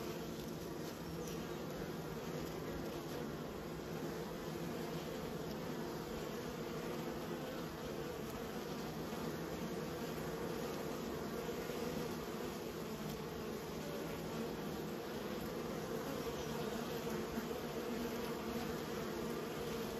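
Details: Kept bees humming steadily for twenty seconds, a dense continuous drone with layered low harmonic bands and an even loudness throughout, no other distinct sounds.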